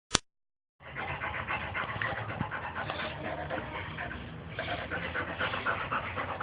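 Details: A Boxer dog playing, panting rapidly and steadily, with breathy pulses running through most of the clip after a sharp click at the start.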